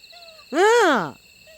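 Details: Domestic cat at home among several cats, answering as its owner calls it over: one clear, harmonic meow that rises and then falls, lasting about half a second. Faint steady tones sit in the background.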